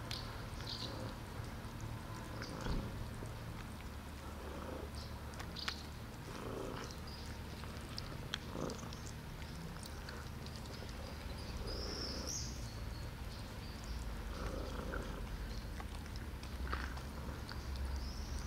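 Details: Street cats gathering around a person outdoors; steady low purring rumble fills the recording, with a few brief higher vocal bursts and scattered clicks and rustles over constant background noise.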